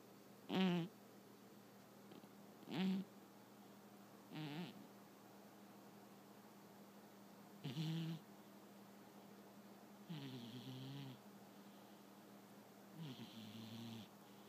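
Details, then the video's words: Domestic cat snoring while asleep indoors: short rasping breaths at uneven intervals, about one every two seconds, each with a low rough buzz and a hissing upper tone, some longer and softer toward the end. "My cat Martini snoring"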